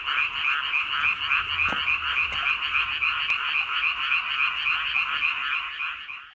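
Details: Boreal digging frogs calling in Korea, a dense continuous chorus of rapid nasal croaks, about three or four per second, overlapping into a steady droning wall of sound with no other clear noises.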